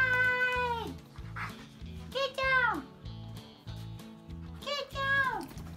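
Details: Male Siberian Husky talking back after being called a fluff ball: drawn-out, whiny, harmonic calls sliding downward in pitch, about four in a row with short gaps, over steady background music.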